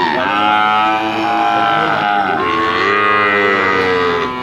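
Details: A chorus of overlapping, sustained lowing from Bali cattle at a livestock market, medium-sized animals ready for slaughter. Tones slide slowly up and down over a continuous market din.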